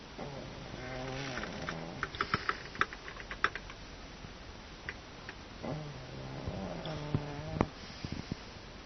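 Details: Pug named Jiro asleep and snoring: two long, low, buzzy rattling snores about five seconds apart, each lasting over a second, with small clicks and rustles in between.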